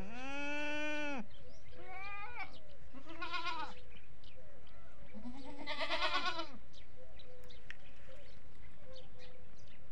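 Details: Several goats, adults and kids of a desi breed on a goat farm, bleat in turn with long, wavering, nasal calls of rich, buzzy tone.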